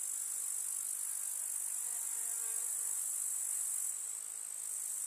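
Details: Many grasshoppers stridulate together in a rural summer meadow: a thin, piercing, unbroken buzz high in pitch that fades slightly near the end, with faint low tones briefly beneath it.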